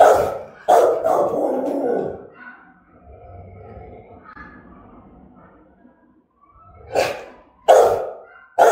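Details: German-type Rottweiler from Vietnam giving threatening, aggressive barks: a burst of deep, harsh barks in the first two seconds, a quieter rumbling pause, then three sharp single barks spaced about a second apart near the end.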